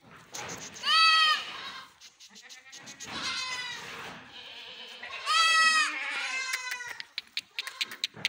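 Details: Goat on a farm giving two loud, quavering, nasal bleats about four seconds apart, with quieter bleating, soft voices and clicking noises between them.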